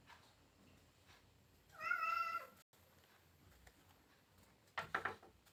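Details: Domestic cat indoors calling its owner to give it fish from the fridge. One clear, drawn-out meow of nearly a second, steady and slightly falling, followed after a pause by brief scratchy rustling noises.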